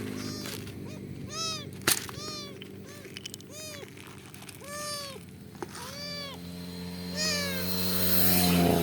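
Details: Roadside rescue of a kitten stranded mid-highway: about eight plaintive, bowed meows roughly one per second, steady and insistent, over a constant low motor hum that swells toward the end.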